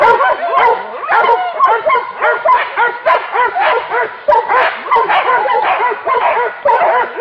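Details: Several hunting dogs bay at a wild boar, their high yelps and barks stacked in quick, curving notes, a steady frenzied chorus with short breaks.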